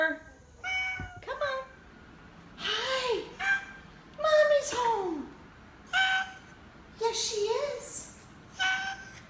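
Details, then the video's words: Oriental Shorthair cat Teddy honking instead of meowing, short nasal calls and sliding cries alternating with a woman talking to him indoors. "Teddy the most famous honking Oriental Shorthair Cat"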